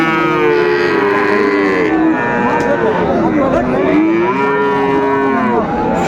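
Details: Moos from market cattle at Raniganj haat, Dinajpur, 2 May 2024, among Friesian and crossbred bull calves; long level lows, then one bending down and up again in the middle, with a busy background hum.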